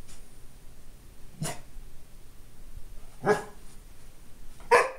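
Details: A Golden Retriever puppy gives three sharp, separate barks a second or two apart, the last loudest, at his own reflection in a glass door.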